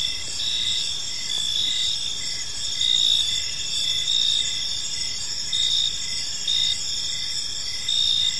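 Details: Crickets chirping on an evening in a peaceful park: steady high shrill trilling with pulsed chirps near the middle range swelling roughly every second, layered over a continuous ringing chorus and faint low background hum.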